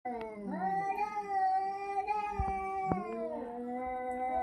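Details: Domestic cat giving a strange call indoors: drawn-out, wavering meowing howls that slide up and down in pitch, sustained for several seconds with brief breaks and a few soft clicks.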